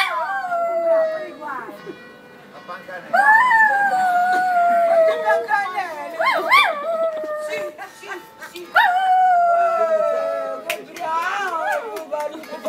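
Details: Dog howling at church bells in Lerici, Italy: three long howls that start high and slide downward with wavering ends, over a steady ringing bell tone.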